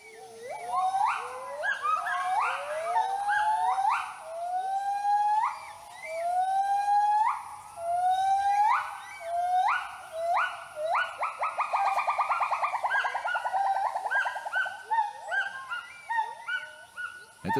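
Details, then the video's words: Gibbon family in Thailand's tropical forest calling in the morning after waking, announcing presence and warning others off its territory; loud rising whoops sliding upward, repeated about every second, then a fast bubbling trill of quick notes and scattered hoots. "утро после пробуждения семья гиббонов объявляет о своем присутствии специальным криком который можно услышать за несколько километров"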